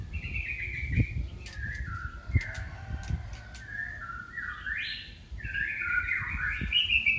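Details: Kitten calling for its mother: a run of high, thin mews, several sliding downward and one sweeping sharply upward, roughly a dozen in seven seconds, over soft rustling and occasional low thumps.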